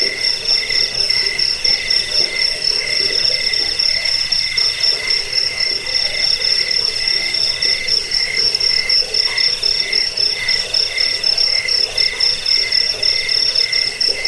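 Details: Shrill cricket chirps, played to repel rats, aid sleep and tutor songbirds, pulse rapidly and evenly in a high metallic trill that never breaks, with slight swells in loudness.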